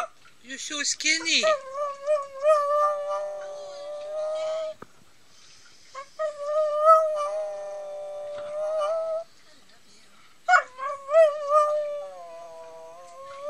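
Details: Pomeranian named Nounour giving three long howling phrases separated by pauses; each starts with yips, then holds a steady, slightly wavering tone that slides downward, with a faint hum between phrases.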